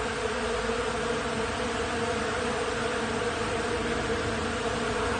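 Many bees fill the air with a continuous low, droning buzz. The hum holds steady and even throughout, with no other clear sounds standing out.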